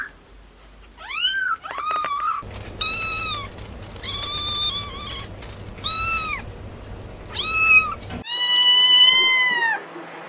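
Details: Kittens giving a series of high arched mews, some rising sharply, others held and wavering, with a steady background hum and a faint high whine through the middle.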